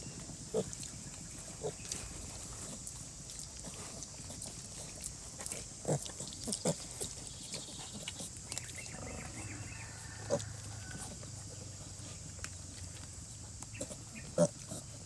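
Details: Pig mother with piglets asleep in cold, rainy conditions; sparse, quiet grunts spaced a second or more apart, with a faint low drawn-out rumble near the middle and a persistent hiss throughout.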